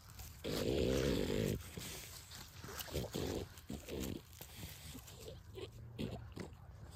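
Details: Play among American Pitbull Terrier and French Bulldog puppies at sundown: a loud, second-long throaty growl opens, then shorter gruff grunts and snorts follow amid scuffling and a faint human voice.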